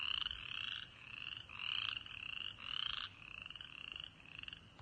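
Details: A chorus of frogs in early March at a birding park in East Tennessee gives high, buzzy pulsed trills that overlap and swell in waves.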